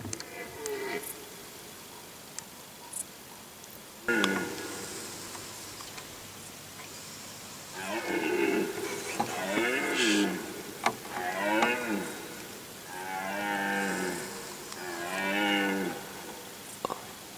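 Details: Rutting red deer at Galgamácsa, 2011, in woodland during the afternoon-evening roaring season: after faint sounds, four or five loud, drawn-out harmonic roars with pulsing, wavering tone, each about a second long, about every two seconds.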